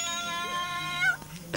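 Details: Cecak, a pampered pet cat that gets angry, makes a steady drawn-out tonal growl-yowl indoors that bends upward briefly near the end, followed by a short burst of noise.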